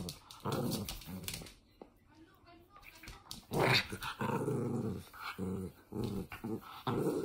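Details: Toy Fox Terrier dog growling while playing, low rumbling growls in short bursts separated by brief pauses, with some quieter breathy sounds in between.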